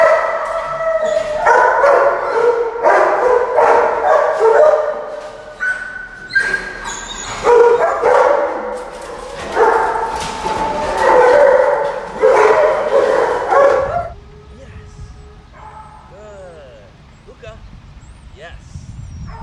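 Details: Mastiff described as dominant and aggressive, in training for rehabilitation: fast, irregular barking about three per second for fourteen seconds, then it stops and only faint, quiet sounds remain.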